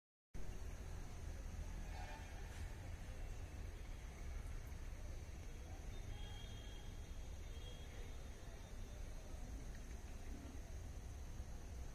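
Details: Steady low rumble of a passing train or vehicle with faint indistinct voices; no animal calls stand out.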